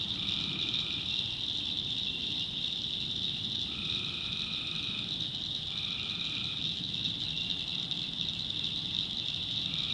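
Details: Tree frogs at night in a North Carolina backwoods swamp; about four short mid-pitched trills spaced roughly two seconds apart stand out against a continuous shrill cricket chorus.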